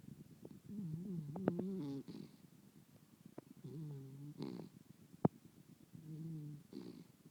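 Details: A Miniature Dachshund snoozing on a couch snores in slow, rhythmic bouts of low, buzzy rumbling, each followed by a soft breathy rush.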